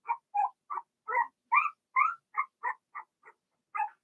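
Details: Young Cavalier King Charles Spaniel puppies, Blenheim coloured, in a puppy pen at home while potty training continues; a dozen short, squeaky yips in an uneven rhythm, some rising slightly, ending after a short pause with one last yip.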